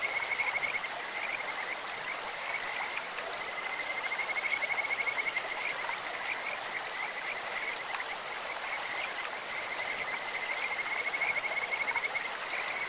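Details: Kajika frogs calling in a clear stream, a bird-like, beautiful voice: high trilled notes repeated in long runs, over a steady hiss of running water.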